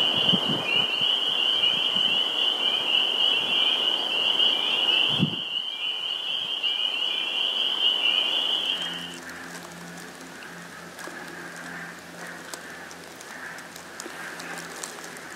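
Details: Spring peeper chorus at a Sudbury, Massachusetts vernal pool on 11 April 2019: loud shrill high peeping fills the first nine seconds, broken by a brief thump, then stops, leaving quieter low hums and scattered clicks.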